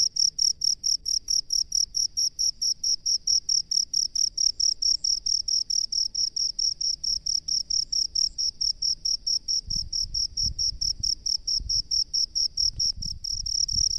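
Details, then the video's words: Rice-field cricket calling with a steady train of shrill, high chirps, roughly two per second, evenly spaced throughout; soft low thumps and background rumble appear toward the end. "SUARA JANGKRIK PENGHUNI SAWAH"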